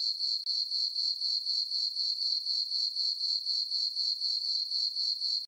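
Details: High, tinkling cricket chirps from a moonlit summer meadow on a farm at night, beating steadily at roughly four pulses a second, with short gaps near the beginning and end.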